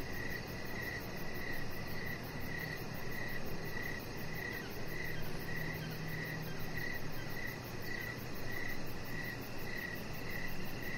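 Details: Crickets at an evening deck sing a regular string of high, clipped chirps about twice a second, steady in pitch, with a faint rapid ticking above and a low droning background.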